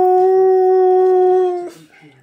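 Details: A talkative male Siberian husky holds a steady, level howl for almost two seconds before breaking off, "singing" and "talking" to meerkats one morning.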